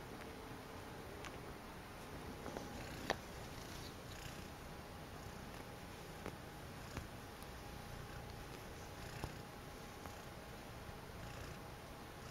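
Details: Female domestic cat purring indoors while enjoying her fuzzy blanket; a soft, low, steady rumble that continues throughout, with a few faint clicks and rustles.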